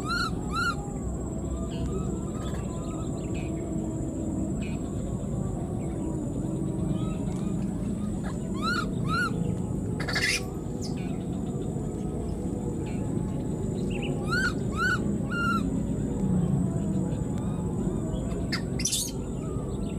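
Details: Wild newborn baby monkey, left behind, calling for its mother: short arched, harmonic-rich cries in pairs, heard near the start, around nine seconds and again near fifteen seconds, over a steady low rumble of background noise and faint clicks.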